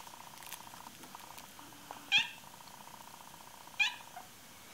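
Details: A 16-week-old male Bengal kitten on his very first day in a new home, playing and exploring a climbing tree indoors. Two short, high chirping calls come about 1.7 seconds apart over a faint steady hum.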